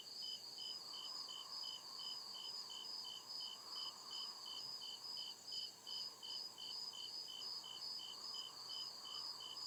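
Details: Crickets calling after dark in deep forest, a regular train of high, clipped chirps over a sustained ringing trill, while a murmuring lower hum comes and goes in waves.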